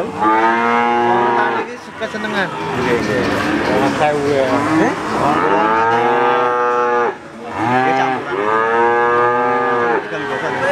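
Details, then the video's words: Crossbred Simmental calf mooing: long, loud, harmonic bawls with slightly rising then falling pitch, three main calls in about eleven seconds, separated by short pauses and overlapping one another. "Suara sapi Lucune Pol - Sapi Pedet Simental Campuran"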